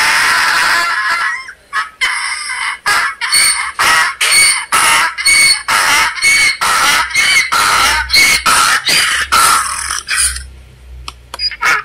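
A donkey brays loudly, a harsh, rasping hee-haw pumped out in quick repeated bursts.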